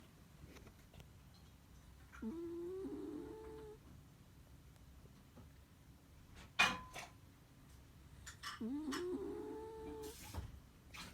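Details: Dog snoring: two drawn-out, buzzy, droning breaths about six seconds apart, separated by quiet, with a sharp knock and some faint rustling in between.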